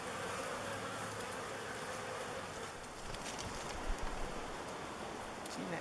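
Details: Thousands of honey bees swarming around a log hive, waggle dancing as the swarm chooses it for a new home: a dense, steady hum with a faint drone near the low end, unbroken for the whole stretch, plus a few clicks and brief bumps.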